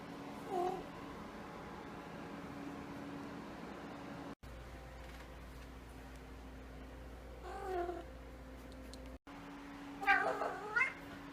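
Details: Woken from sleep, a male house cat lets out three short chirpy meows, the last one louder with a rising-falling wavering pitch, separated by quiet stretches with a constant low hum in the room.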